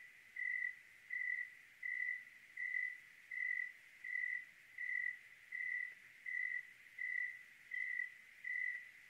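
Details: Oregon cricket on a clear night, giving an evenly spaced series of bright, high chirps, about thirteen regular pulses in a row against a quiet, faintly hissing night background.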